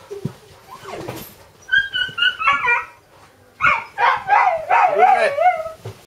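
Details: Dobermann puppy giving high, wavering yips and whimpering yelps in short bursts, some notes sliding up then down, clustered in two bouts separated by a brief pause.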